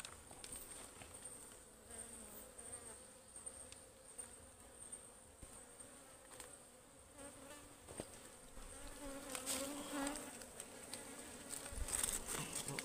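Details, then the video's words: A wild ligwan honeybee colony in the forest, called very fierce while its honey-filled hive is taken; a long, even buzzing hum fills the scene, growing busier toward the end amid occasional taps and rustling. "Ligwan Beehive Harvesting in the Forest"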